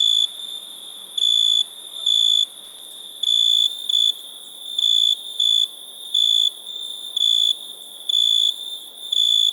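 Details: Cricket chirping: piercing high bursts, sometimes in quick pairs, repeated irregularly every half second to a second above a constant faint background trill.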